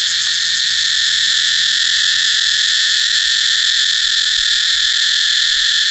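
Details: Cicada singing as a constant, piercing electric-sounding buzz, even in loudness and pitch throughout, with nothing else heard.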